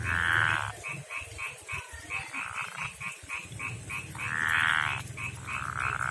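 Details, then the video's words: Rough-skinned male frog of a backyard pond and river calls a female with short buzzy pulsed trills at the start and again near the end, between steady clicking notes of other nearby frogs. "begini suara kodok jantan panggil betina"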